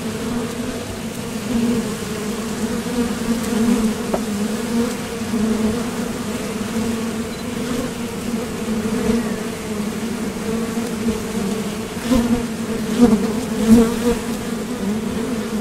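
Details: Continuous hive-entrance hum from honeybees departing and landing at a Top Bar Hive during nectar foraging; a thick, even drone with small surges as single bees fly near, plus occasional faint clicks.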